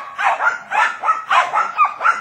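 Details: Jack Russell Terriers holding a wild boar at bay, the animals surrounded and not moving, give sharp yelping barks in quick succession, about five in two seconds.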